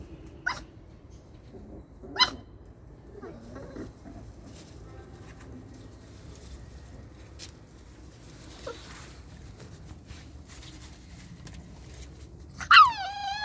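Belgian Malinois puppies give a few sharp yelping barks, with quiet gaps between them.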